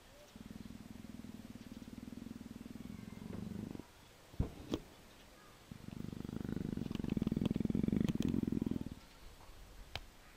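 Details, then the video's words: Persian leopard nuzzling affectionately, giving two long steady low purring bouts of about three seconds each, separated by a pause with a few clicks, while a woman speaks softly and praises the cat. "Персидский леопард - ластится"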